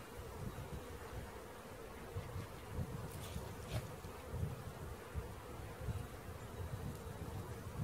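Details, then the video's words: Swarming bees during a catch, their even buzzing drone partly buried under heavy low rumbling and thumping, with a brief brighter noise near the middle. "Catching Bees start to finish bee swarm"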